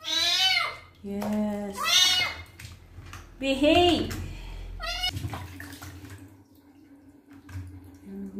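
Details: Male kitten crying out during his first bath while his wounds are cleaned, four loud, rising-then-falling meows in the first four seconds, then quieter talking and faint washing sounds indoors.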